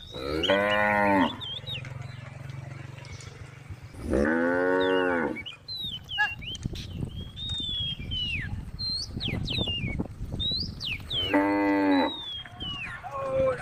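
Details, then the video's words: A group of female cows on the road calling the herd: three separate loud moos spaced several seconds apart, with chirping birds and background rumble between calls. "group of female cows on the road the sound of cows calling the herd"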